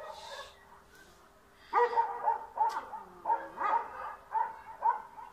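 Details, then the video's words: Dog in a yard in Bulgaria trying to chase a cat out: a quiet start, then a run of sharp, harmonic barks about every half second from near the two-second mark, with a steady low hum underneath. "Dog Trying to Chase a Cat Out of the Yard"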